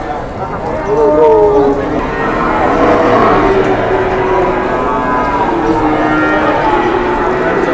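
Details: Cattle at a cattle market while a deal is still being negotiated. Several low moos, some bending slightly in pitch, overlap across the recording amid chattering people and general crowd noise.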